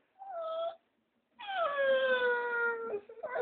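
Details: Dogo Argentino dog howling: a short tonal wail, a pause, then a longer steady howl held over a second, slightly falling in pitch and rich in overtones, ending in brief broken notes.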